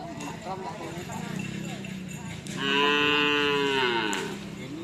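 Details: Karapan sapi racing practice with Madura cattle at the Asemanis field in Pamekasan: a murmur of voices, then a loud, long moo, steady then sagging slightly in pitch, trailing off after about one and a half seconds.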